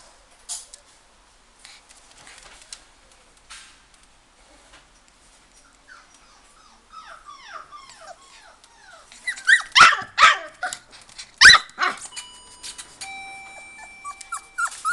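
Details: Golden Retriever puppy at a pet shop in Ginan, Japan, giving scattered high, falling whimpers and yelps that grow louder and more frequent toward the end, with clattering and a beeping tone.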